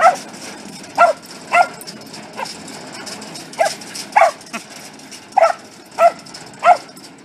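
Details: Welsh Corgi barking repeatedly, eight short yapping barks in quick succession at roughly half-second to one-second intervals, over faint background hiss.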